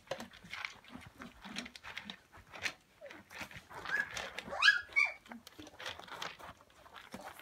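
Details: A Samoyed puppy litter plays with a pool noodle on Prince Edward Island, Canada, 28 December 2015: rapid overlapping grumbles and short growls build to a shrill rising squeal about halfway, then settle into soft yips.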